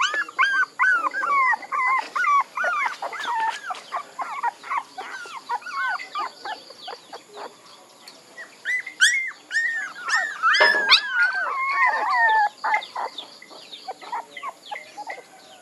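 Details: Several puppies whimpering and whining together: overlapping high, wavering squeals that bend up and down, with a louder burst of cries near the middle and steady chattering yelps throughout.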